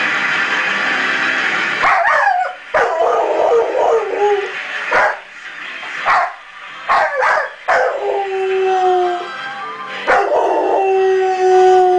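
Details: A 1-year-old male Rottweiler howls along in long, wavering tones to the opening song of a Christian TV broadcast playing in the background.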